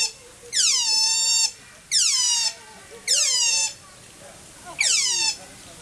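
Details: Asian small-clawed otters calling at Wuppertal Zoo; four loud, shrill squeals, each about a second long, sliding downward in pitch, with short pauses between them.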